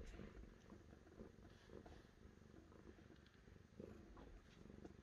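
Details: Cat purring, a soft, steady, low rumbling pulse that runs without a break through the whole stretch, with faint scattered clicks above it.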